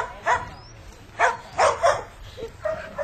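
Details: Eva, a Koolie herding dog, meeting moving sheep at a herding workshop as instinct kicks in: four or five short, sharp barks and yips scattered over three seconds, with low background rumble.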